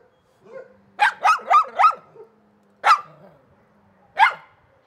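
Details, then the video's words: Dog barks in a quick run of four sharp, mid-pitched barks, followed by two single barks spaced over a second apart, with a faint low hum underneath. "Szczekanie psów"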